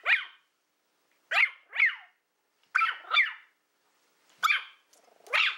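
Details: Young female Toy Fox Terrier named Willow, puzzling over a pig's ear during play time: a series of seven shrill yips, mostly in quick pairs, with clean quiet gaps between bursts.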